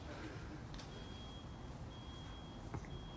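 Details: A low rumbling background hum is heard, with a faint steady electronic beep tone and a brief knock, but no animal voice.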